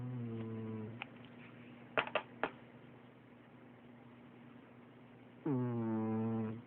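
A domestic cat snores with low, buzzy, drawn-out breaths, almost human in tone.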